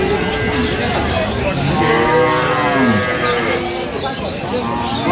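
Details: Cattle at the Aftabganj market in Dinajpur on 21 January 2026, among cows sold with their calves. A drawn-out, wavering low moo bends downward mid-clip, while men bargain loudly over prices in Bengali nearby.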